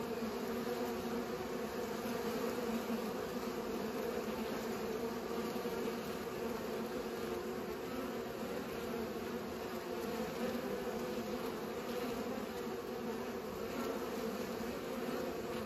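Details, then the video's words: Pollinating bees fill the air with a continuous, layered droning buzz. The low hum holds a steady pitch, with slight swells and overlapping wingbeats, and no birds, voices or music are heard. "Bees pollinate"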